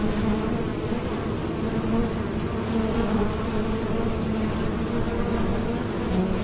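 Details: Bees at a farm in the Cambodian countryside hum in a steady, low, droning buzz with no break.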